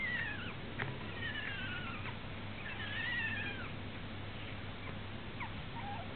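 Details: Young male puppies, tired and asleep while dreaming, give faint, thin squeaky whines that slide up and down, with several drawn-out wavering tones in the first half and short high squeaks near the end, over a steady low hum.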